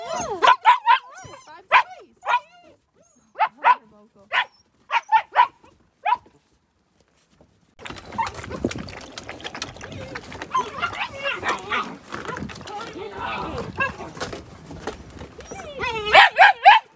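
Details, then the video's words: Nine-week-old Gerberian Shepsky puppies at play outside on a bright winter day; sharp, short puppy barks repeat in a rapid series for about six seconds, followed by rustling, movement noise and voices, then a few more barks. "Gerberian Shepsky Puppies"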